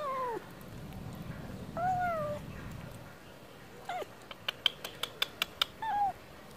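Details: Stray cat wanting wet food, giving short falling meows with quiet pauses, followed by a run of sharp regular clicks or taps near the end and one last brief meow.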